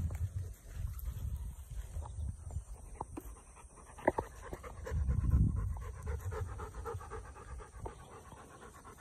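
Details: Webfoot retrievers, Tugboat and his puppies, at a pond: rapid, breathy dog panting in soft uneven bursts, swelling louder near the middle, with low rumbling background noise and a few sharp clicks.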